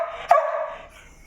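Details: A single sharp bark from a noisy house dog staring at where its food is kept at 6 a.m., followed by a sustained whiny tone that fades away over the next second.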